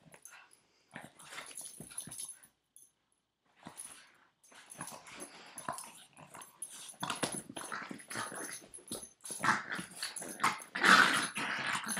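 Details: A nine-year-old Boston Terrier that won't let go of its owner's foot makes playful growls and whimpers in short, irregular bursts indoors.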